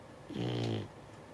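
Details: Sleeping Beagle puppy, six months old, giving a single snore: a buzzy, harmonic-rich rasp lasting about half a second, rising and falling in loudness against a hushed indoor background.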